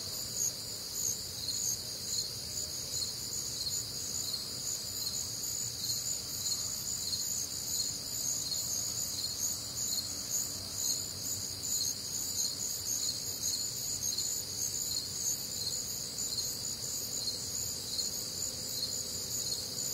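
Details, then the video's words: Crickets and other nocturnal insects on a warm, humid Midwestern summer night: a dense, continuous chorus of high, shimmering trills stacked in several pitch bands, pulsing steadily without pause, over a faint low rumble. "Night Time Cricket Sounds"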